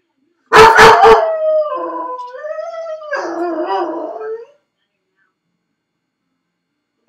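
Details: Felix, a dog left alone in his crate at home, gives a burst of sharp barks followed by a long wavering howl that rises and falls, then a whine-like cry before silence.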